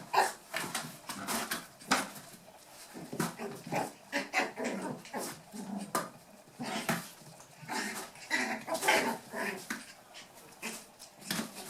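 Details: Playing toy poodle pups aged eight weeks, Tami's last litter, trading rapid rough growls and tiny yapping barks in a busy, irregular stream, with the clatter of paws and bodies throughout.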